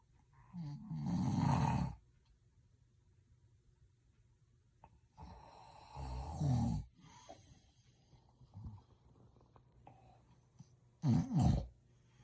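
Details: Sleeping dog snoring loudly indoors without waking, three long rasping snores with deep rumbling undertones and harsh upper noise, separated by quiet pauses of several seconds, with faint breathing between.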